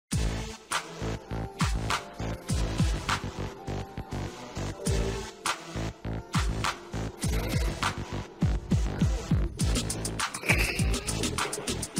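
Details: Rhythmic electronic music with a pulsing beat and bass fills the whole stretch, and no animal voice stands out.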